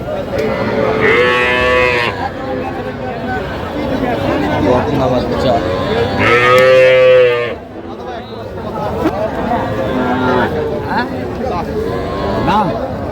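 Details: Calves at a Bangladeshi cattle market in Dhaka moo repeatedly: a drawn-out call, a louder strained bellow a few seconds later, and a fainter one near the end. Throughout, men haggle and talk amid market bustle.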